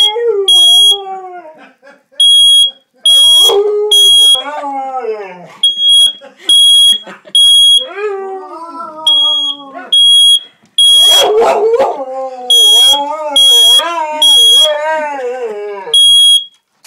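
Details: Dog howling in reaction to a beeping alarm: long, wavering howls that rise and fall in pitch, nearly continuous throughout, over loud, shrill alarm beeps in repeated short bursts; a brief rough, noisy outburst midway.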